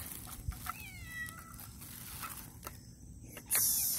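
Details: Domestic cat being offered sardines by its owner, giving a drawn-out, falling meow in the first half, then quiet with small clicks and a sharp noise burst near the end.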